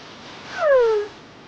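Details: Baby kitten waking up from sleep makes a babbling sound: one short, clear, tonal mew that slides downward, lasting about half a second, over quiet background hiss.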